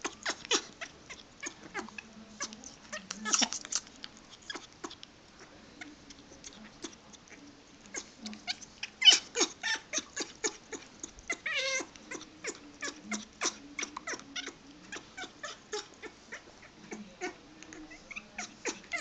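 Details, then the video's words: Pet dog making odd repeated sounds, possibly wanting to mate or simply happy; a rapid series of short clicking, snuffling bursts with faint low whines underneath, continuing irregularly throughout. "Tori's weird sounds"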